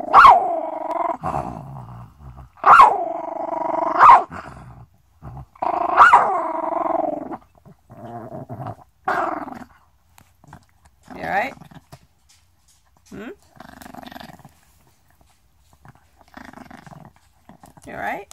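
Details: A Chihuahua growls, snaps and breathes all at once: harsh, wavering growl bursts broken by sharp snaps, every couple of seconds.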